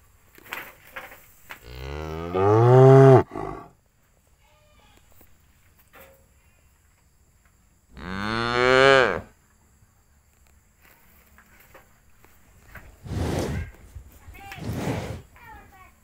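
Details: Cattle housed in a cowshed while feeding on grass give two drawn-out, deep moos several seconds apart, each swelling and then sliding down in pitch, followed by two short, breathy, noisy bursts near the end.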